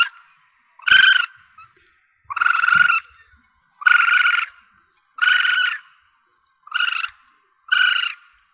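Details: Asian palm civet young, a recording used to lure the animal when hunting: strained, buzzy wails of about half a second each, given in an irregular series every one to one and a half seconds, with no other sounds.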